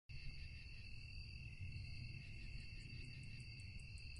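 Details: Crickets chirping at night: steady high-pitched trilling bands hold through the whole stretch, with a faint row of rapid ticking pulses near the end, over a deep low rumble.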